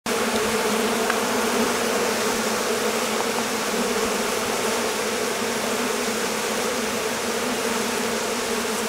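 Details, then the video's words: Honey bee colony swarming on a warm day after a long spell of rain and cold kept the bees confined in their hive; a dense, steady droning hum of many bees with bright bands near the low-middle range, unbroken throughout. "Abeilles. Essaimage d'une colonie"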